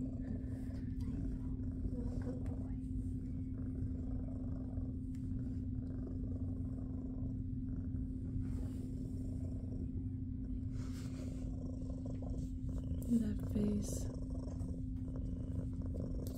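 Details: Jiji, a big fluffy female shelter cat at SBACC, purring while enjoying belly rubs: a steady, low continuous rumble throughout, with faint human voices and small rustles near the end.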